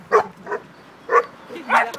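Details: Beauceron barking: four short, sharp barks spread over two seconds, two louder and two softer, with a quiet background.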